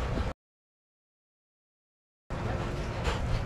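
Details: Brief outdoor background hum broken by a gap of near silence, then resuming as low rumble, with no barking or other animal sound.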